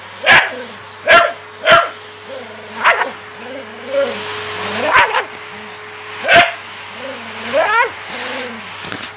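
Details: Patterdale Terrier during a game of fetch, alternating short, loud barks with wavering, whining vocal sounds, roughly one outburst every second or two, over a constant background hum.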